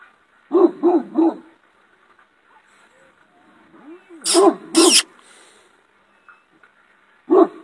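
A shepherd dog gives loud, deep barks in a quick burst of three, then a pair, then one more.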